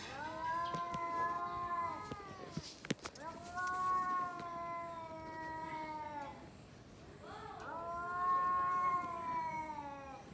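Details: Pair of domestic cats growling and yowling at each other before fighting: long sustained moaning wails, pitch gently wavering, with a sharp knock or thump partway through.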